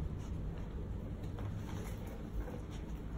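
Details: Low rumbling handling noise with faint clicks fills the room, and no animal voice can be picked out.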